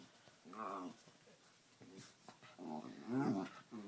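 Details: Dog at play indoors producing funny noises: two short warbling, growly vocal bursts, the second louder and more strained, in a small room.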